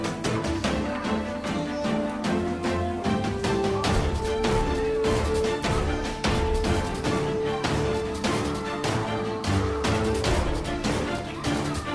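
Upbeat instrumental music with steady percussion and sustained melodic tones fills the whole stretch, with no animal voices audible.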